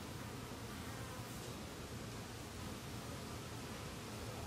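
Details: Western honey bee workers, yellow Italian and black Carniolan, collecting water from a pond on lotus leaves to cool the hive as temperatures rise, filmed with a Sony camcorder on a pole; a steady low hum under a wash of broadband noise.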